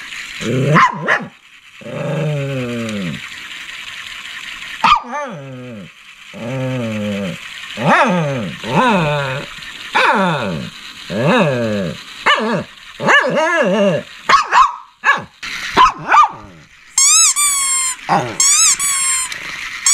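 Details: Shih Tzu barking and growling: a run of short, pitch-bending yelps and barks repeated every second or so, ending in shrill squeaky high notes, over a steady hiss.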